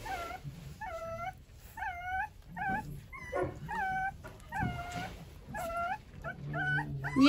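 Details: Eleven hungry Rottweiler puppies, being dewormed together, squeal and whine for food: a steady series of high, arched, slightly wavering whimpers roughly every three-quarters of a second, with occasional handling noises.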